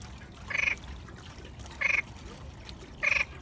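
A frog calls with brief, rattling croaks, each a quick burst of pulses with a nasal, buzzy tone. The croaks come at a steady pace, roughly once every second and a quarter, over a soft background hiss.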